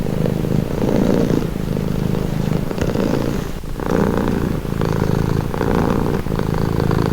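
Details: Steady rumbling purr from a domestic cat, louder and softer phases alternating about every second and a half as it breathes in and out, with a short quieter dip midway.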